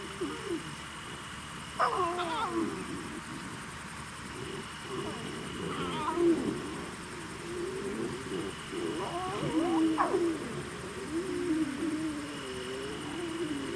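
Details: Lion. Young lions call in bursts of wavering, mewing cries, each swelling into a rising squeal about every four seconds. Softer grumbles fill the gaps between the louder calls.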